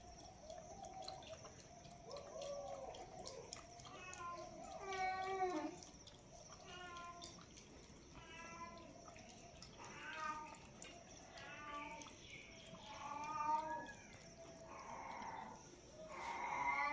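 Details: Cat drinking milk, recorded close for ASMR: a run of short, high, wavering meows repeated every second or two, over steady wet lapping and a faint constant hiss.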